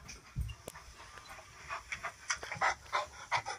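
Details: Alaskan Malamute indoors, reacting after hearing its own recording played back; quick rhythmic panting breaths in irregular bursts, with soft whimpery sounds and a brief thump near the start, room noise behind.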